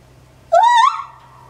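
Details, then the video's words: Captive male white-handed gibbon, nine years old, at Maruyama Zoo in Japan, recorded 27 January 2014. It gives a single loud, clear hoot lasting under half a second that rises and wavers upward, over a quiet low hum. "シロテテナガザルの鳴き声~White-banded Gibbon crying"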